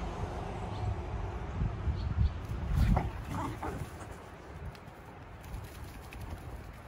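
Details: Komugi, a red female Akita aged three, tries to win back her brindle sister Patako's interest from a bird in a bush; low throaty grumbling vocalisations peak in the first half, then fade into quiet outdoor noise.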